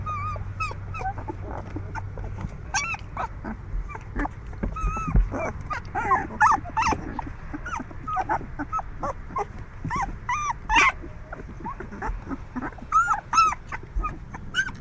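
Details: Young puppies, moving about a lot, whimper and yip in overlapping, high, wavering cries.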